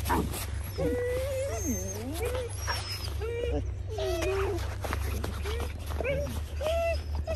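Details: Several Border Collies at a Czech kennel give high, wavering whines that slide up and down, some bending into longer swoops, over a steady low hum while a woman calls dogs named Tami and Exik in Czech.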